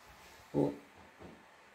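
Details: Rare blue-coated Miniature Pinscher indoors gives one short, tonal, mid-pitched bark, followed half a second later by a fainter, softer sound in an otherwise quiet room.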